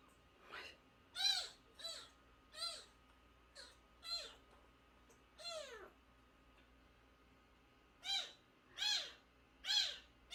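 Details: Shrill repeated crying from a month-old nursing kitten found at the front gate and taken into the home; about ten short descending mews come in quick bursts, with a gap midway, over a faint steady hum.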